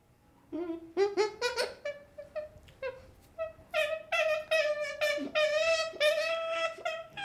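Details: Baby chimpanzee making drawn-out, wavering whimpers broken by sharp higher squeaks, building into a long, continuous, pulsing cry near the end, indoors.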